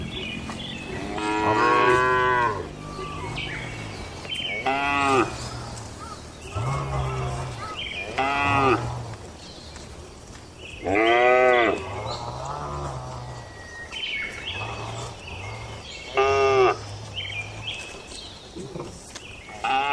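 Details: Cattle in a traditional village shed at night, mooing repeatedly: several long harmonic-rich calls, some rising then falling, each lasting about a second, with quieter low grunts between them, a soft buzzing background hum, and occasional faint high-pitched ticking.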